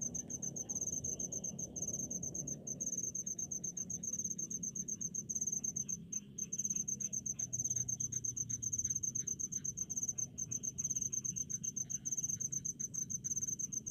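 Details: Cricket among rice fields in the countryside, a continuous high pulsing trill with faint lower insect buzzing in the background and a soft rumbling undertone that fades later.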